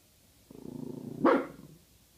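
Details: Female guard dog named Pasa, skeptical of a bag hanging nearby, gives a low rumbling growl that builds into a single sharp bark, then trails off into a soft growl.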